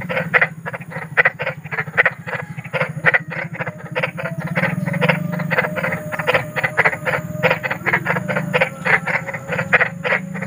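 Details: Big frog in nature giving a rapid train of rasping croaks, pulses packed closely and unevenly, loudness swelling and fading, a faint low drone beneath.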